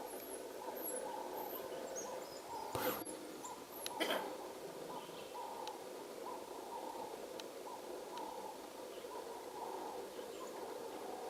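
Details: African wild dogs (Lycaon pictus) in Zimbabwe watching over their puppies at a den "daycare", giving soft, owl-like hoo calls that overlap and repeat irregularly.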